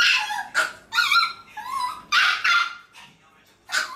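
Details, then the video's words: Left behind when only one of three Maltese dogs is taken out, the remaining pups cry in sharp yips and wavering, high, nasal whines, several bursts in four seconds, with short quiet gaps between. "세마리중 한마리만 데리고 나갔을때 남은 강아지들의 반응(맴찢영상)"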